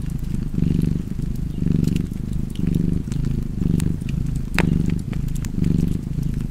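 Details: Domestic cat purring beside a crackling fireplace: a low, steady rumble that swells and eases in rhythmic breaths about once a second, about six cycles, with sharp wood-fire crackles and pops above.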